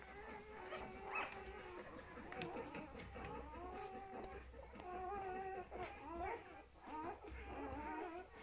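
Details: Two-day-old puppies from the litter of Folie and Mayley, indoors: many overlapping high, wavering whimpers and squeals rising and falling in short bursts, almost continuous, with a low hum underneath.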